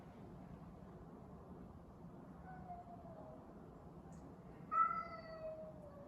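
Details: Cat meowing during a cat fight: faint low background, then a loud harmonic yowl that starts high and slowly slides down, drawn out for over a second.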